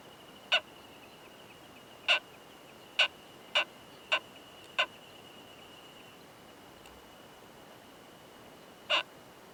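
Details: Male Oomadarakokunusuto beetle with a female in a high-mountain pine forest, making its loud "kan kan kan" mating sound: seven sharp, bright clicks, a quick burst of five and then one more after a long pause, over a faint steady high tone.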